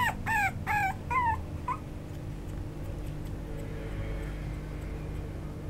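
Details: Parti-colour Chihuahua, a young male, lets out four or five quick rising whines in the first two seconds, then falls quiet against a low background hum.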